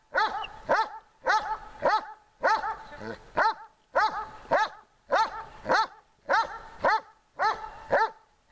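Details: Dog being trained in summer heat, giving evenly spaced loud barks, roughly one to two per second, with a brief faint voice between barks.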